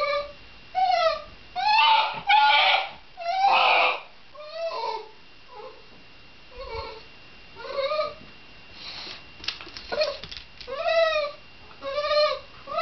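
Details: Shiba Inu giving a run of high, arching whines and yelps, each rising then falling. They come roughly once a second in uneven bursts, louder early on and softer, more drawn-out toward the end, in a quiet indoor setting.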